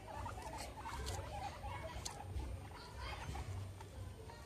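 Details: Pet guinea pigs Meadow and Sandstorm playing among a soccer ball and an American football; quick bursts of soft, low, clucking chuts in uneven runs, mixed with scratchy patter of feet and bedding and a low background hum.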